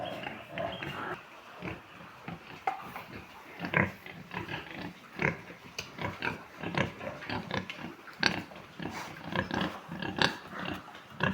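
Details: Large White pigs on a farm: a dense, continuous run of short, rough grunts and snorts from several animals, overlapping irregularly, with a few louder, sharper squeal-like bursts standing out.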